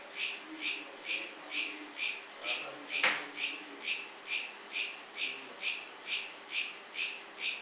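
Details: Cricket chirping in steady, evenly spaced pulses roughly twice a second, each a short bright burst high in pitch; a brief click and faint low murmurs sit in the background.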